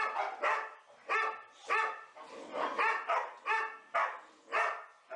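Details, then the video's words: Boxer dogs Elsie, Gertrude, Bowling and Cierra at play together in an indoor play room, giving repeated harmonic barks and yips roughly every half second, several voices overlapping. "4 boxer dogs playing"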